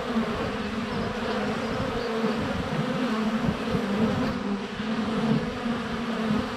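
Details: A steady, droning hum of many honey bees flying close around a hive entrance on a sunny February day, low and continuous with slightly wavering pitch; bees land on the microphone, with birdsong, goats and chickens audible.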